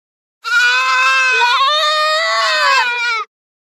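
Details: One long, loud, wavering goat bleat of almost three seconds, tremulous and rich in overtones, from goats grazing in forest and field.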